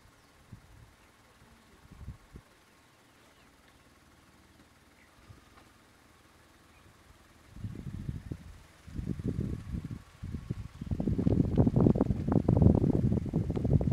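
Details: Splitnose, leader of the Gomondwane male lion coalition, roaring for his brothers in the hippo pools territory of Kruger National Park: quiet at first, then from about eight seconds a loud series of deep, rumbling grunting bursts that grows heavier toward the end.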